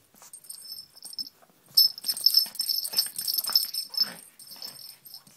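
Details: Pug attacking a pink toy rabbit indoors, giving rough wheezy snorts and huffing breaths that start faintly, then burst into dense, noisy snuffling from the second second onward, over a steady high-pitched whine.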